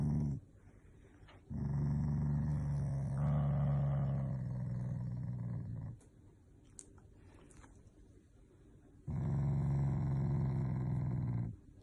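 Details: Shiba Inu growling when forced to do tricks: low rumbling growls in three long bouts separated by quiet gaps, with small clicks and bumps between them.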